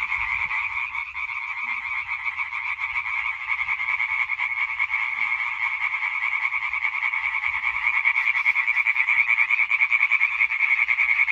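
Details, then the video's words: Massed European tree frogs in a singing concert on 20.05.2023, rapid pulsed croaks overlapping into a continuous rasping chorus that grows louder and more rhythmic toward the end. "Hyla arborea Konzert Concert"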